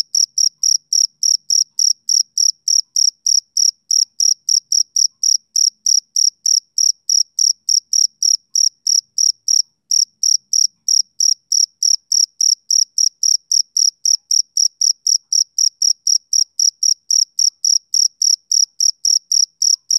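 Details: Summer-evening chorus of a male cricket: high, tinny chirps pulsing roughly three and a half times per second, unbroken and even across twenty seconds, nothing else audible.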